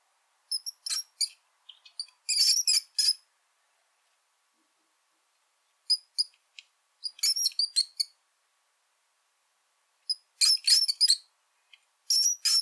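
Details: High-pitched squeaking from a brown rat: clustered, chattering squeaks in three main bouts with silent gaps of about two to three seconds, no other sounds present.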